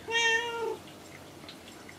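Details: Kinako, a house cat sitting up on a shelf or cage, gives a single drawn-out level meow lasting under a second in reply to being talked to, followed by quiet room sounds.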